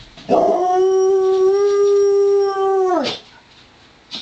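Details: A dog howls during a play-wrestling match between Joplin, a Ridgeback mix, and Romeo the Pomeranian. One sustained, steady, mid-pitched tone of nearly three seconds with rich overtones drops off sharply at the end; quiet afterwards.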